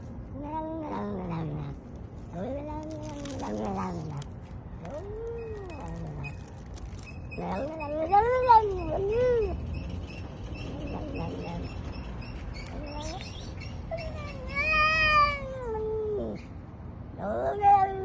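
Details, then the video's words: Domestic cat producing a run of arched, yowling meows, some rising then falling, repeated irregularly roughly every second or two over low rumbling background noise. "funny cat sounds"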